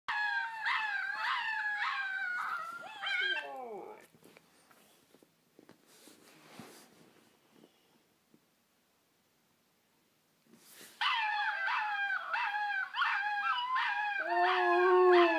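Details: A Siberian Husky howls at puppies in long, wavering, rising and falling tones, with a quiet pause midway.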